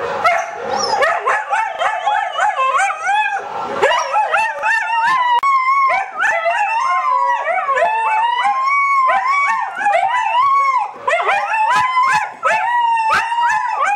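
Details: Several pet Siberian Huskies howling indoors in response to a sound played on a computer: overlapping wavering, rising and falling howls with yips woven through, continuous and loud throughout.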